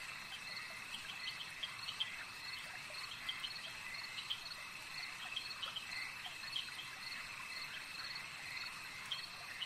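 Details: A lakeside frog chorus: short pulsed croaks repeating in quick overlapping bursts from several animals, over a steady high ringing drone and faint ambient noise.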